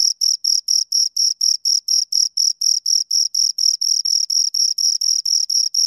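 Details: Shrill, high-pitched chirps from two crickets repeat briskly and regularly, roughly four bursts each second, forming an unbroken metallic pulse with a clean, quiet background.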